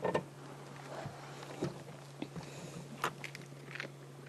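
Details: About ten spotted hyenas (Crocuta crocuta), mostly sub-adults, feed at night in thick bush on an adult female buffalo left by lionesses. Sharp, irregular bone cracks and crunches sound over a steady vehicle engine hum.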